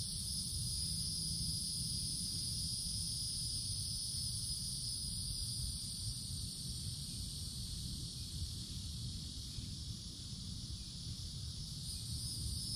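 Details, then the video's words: Cicadas in a summer woodland canopy, where they are very common. A steady, unbroken high-pitched buzzing drone fills the whole clip over a low rumbling background noise. "Cicadas Sounds"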